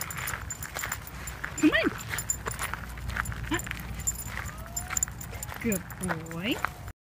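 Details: Obi, an 18-week-old blue merle Cardigan Welsh Corgi puppy, grows impatient during leash training; short high whines and yelping sweeps rise and fall, the last a quick cluster of bent yips, over a person's encouraging voice and outdoor background.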